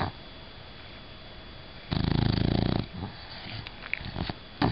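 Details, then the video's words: Bella, a female bulldog, snoring while asleep: one rough, rattling snore of rapid fluttering pulses lasting about a second, followed by softer sniffing breaths in a quiet indoor room. "Do Bulldogs Really Snore?"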